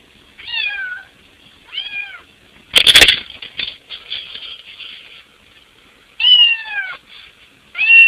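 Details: Domestic cat meowing while trying to fit through a window to get into the house: four harmonic, downward-curving meows, two near the start and two near the end, with a loud broadband scrape or bump in the middle.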